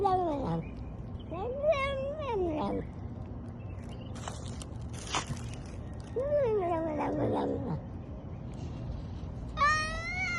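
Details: Domestic cat giving several drawn-out, wavering meows with rising and falling pitch, spaced irregularly through a low background hum, with a few brief clicks and knocks.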